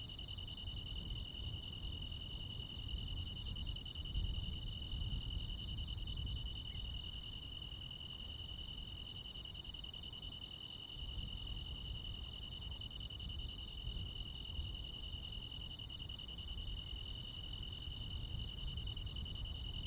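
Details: Crickets and other insects fill a summer night in the countryside with a steady, shrill trill, punctuated by regular high ticks under a second apart. A noticeable low rumble, like wind or distant traffic, swells and fades beneath them.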